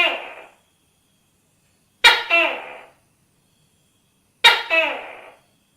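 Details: Three harsh, explosive calls from a tokay gecko, each a sudden bark that slides downward with a short echoing tail, spaced about two seconds apart in silence.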